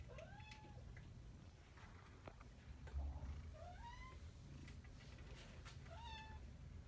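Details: Domestic Shorthair cat awaiting adoption, calling with three drawn-out meows, the middle one sliding upward, over a steady low room hum with occasional taps.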